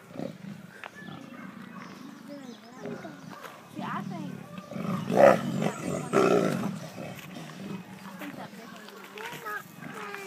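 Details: Zoo big cats growling at each other; low gravelly growls run throughout, swelling into two louder rasping bursts midway before fading back to rumbling, with people talking over the animals.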